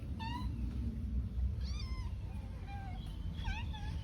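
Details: Cat eating pork rice, giving about four short, thin meows across four seconds, some rising then falling, one with a quick upward flick, over a steady low background rumble.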